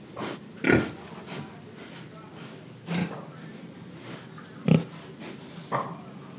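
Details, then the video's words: Pig in Indonesia, breathing and eating: short, rough grunts spaced unevenly, four main bursts over a few seconds with quieter snuffling between them. "Pig Sound Effects Oink Oink, Breathing & Eating"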